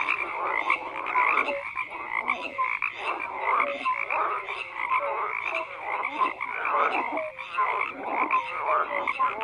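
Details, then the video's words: Frogs croaking in a dense chorus, many overlapping calls forming a continuous bed of sound, with short whistled notes and pulsed croaks rising and falling throughout. "FROGS CROAKING"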